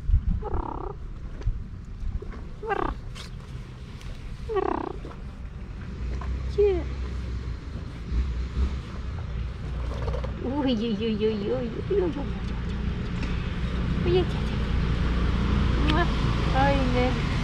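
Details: Two male cats that dislike each other, at the seaside in Istanbul, meowing loudly at each other: short harmonic yowls early on, then longer wavering drawn-out calls, over steady low rumble of wind and surf.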